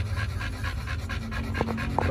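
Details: Dogs Oliang and Nomyen, fed raw chicken organs at a dog hotel, pant in quick even breaths, roughly four per second. A couple of sharp clicks come near the end.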